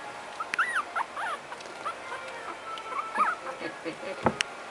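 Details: Several puppies give quick, high, arching squeaks and whimpers in small bursts. A person speaks quietly nearby, with a sharp click near the end.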